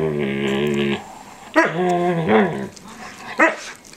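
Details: Standard poodle, an 8-month-old male, making weird noises during a daily ritual of nibbling an older poodle's face and ears indoors: drawn-out, moaning whines, a long steady one, then a wavering groan and a short rising yelp.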